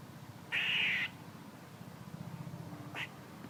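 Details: A squirrel gives one harsh, buzzy rasp of about half a second, followed two seconds later by a single short chuck, with a faint low hum throughout.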